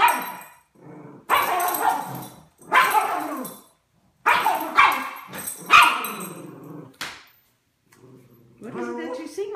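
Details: A Miniature Schnauzer not allowed to bark indoors, excited at seeing a squirrel, gives muffled, stifled barks and grumbles through a closed mouth, seemingly stifling himself with a toy held in his mouth, while a person talks.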